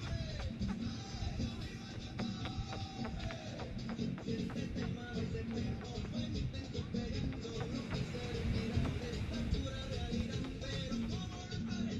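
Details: Continuous music with low, dense instrumental tones fills the recording, with no animal calls heard.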